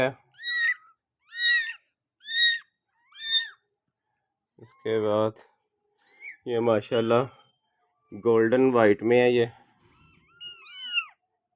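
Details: Persian doll-face kitten indoors. Four short, high, arched meows come in quick succession over the first three seconds. Human talking follows and fills most of the rest, with a few faint mews near the end.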